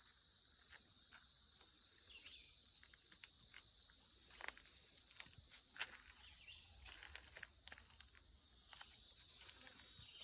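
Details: Loud insects drone steadily and high-pitched without pause on a country road in the woods, broken by scattered crunching footsteps of someone walking an old dog.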